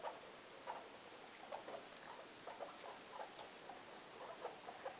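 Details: Loeki, a mother guinea pig with her three young, kept indoors; faint, short squeaks around the middle register recur at irregular intervals, sometimes paired, over a low hiss of room noise.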